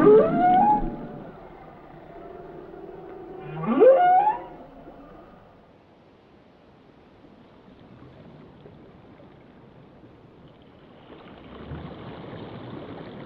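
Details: Two loud, rising whoops from a whale, about three seconds apart, each sweeping upward with bright harmonics. A long near-silent stretch follows, with a faint, hissing low sound returning near the end.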